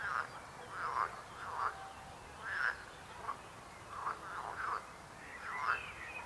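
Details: Frogs croaking in short separate bursts, each a brief nasal croak, spaced roughly half a second to a second apart against a quiet background.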